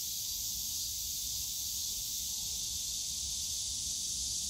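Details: Cicadas in a bamboo grove at Yongsan Family Park on a summer day: a steady, unbroken high hiss-like drone that holds evenly throughout, with a faint low rumble of park background noise beneath.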